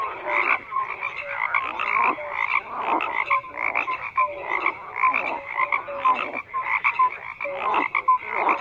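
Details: Frogs croaking in a busy chorus, short rasping bursts alternating with brief clear pips, the calls coming in clustered pulses about every half second.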